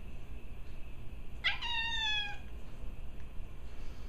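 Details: A domestic cat gives a bark-like call while playing with another cat, one of the pair Benjy and Gracie: a sharp, noisy burst that turns into a single slightly falling, harmonic-rich tone lasting just under a second, over a quiet low hum.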